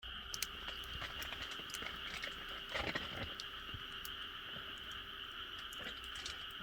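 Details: Frogs calling at night in rice paddies and fields of a quiet countryside; a steady, unbroken droning chorus of high tones, with scattered clicks and crackles from a wood fire throughout.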